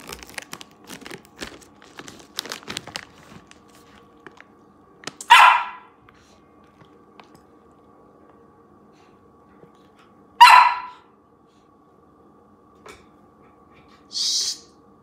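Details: Yuriko, a female Samoyed puppy living in Canada, barks indoors while being fed kibble and treats. Crinkling and rustling open the clip, then two sharp barks come about five seconds apart, followed by a shorter, higher bark near the end.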